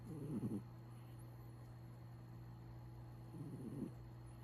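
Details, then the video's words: Snoring from a sleeping cat, two grainy rasping breaths about three seconds apart, with a steady low hum running underneath. "Cat snoring"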